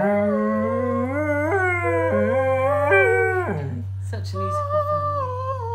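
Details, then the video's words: Pet dog singing along, from a compilation of singing dogs; a drawn-out tonal howl stepping upward in pitch through several sliding notes, then breaking off and resuming lower, over a steady low hum. "Awesome Dogs Singing"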